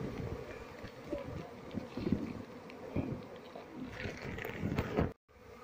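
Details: Wild Asian honey bee colony, Apis cerana, being moved into a hive box while the keeper searches for the queen; a dense, low, steady buzzing hum with crackling handling noises, cut off abruptly near the end.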